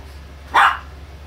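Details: A single short, sharp bark from a Chihuahua, loud and clipped, against a faint constant low hum.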